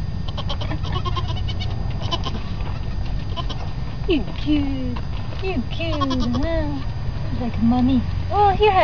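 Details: Newborn goat kids giving short, wavering, high-pitched bleats, several overlapping in the second half, while a woman talks softly to them throughout over a low background hum.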